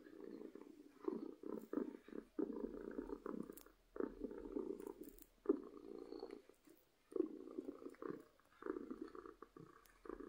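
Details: Domestic cat purring from happiness, a soft rumbling purr broken into short irregular bursts with frequent brief gaps, plus faint clicks.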